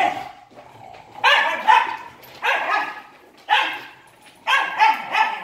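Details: Wire Fox Terrier brothers in a rough play-fight give a run of loud, harsh barks in four bursts about one second apart, with a low growl before the first bark.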